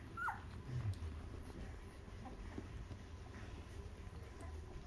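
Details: Two-week-old newborn puppies nursing on their mother's milk while she cleans them; one short, high squeaky whimper that slides downward near the start, followed by soft low rustling and quiet indoor background.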